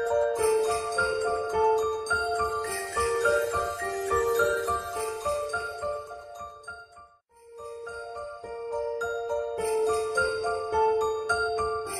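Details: Tinkling jingle-bell Christmas music with glockenspiel-like tones plays throughout, briefly pausing midway, with no animal voice heard.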